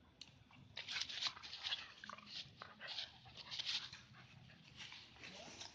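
Two dogs, a Siberian husky and a village dog, vocalize back and forth in short, raspy, high-pitched bursts. Yips, whines and snarling breaths come in quick succession, some clipped, some drawn out.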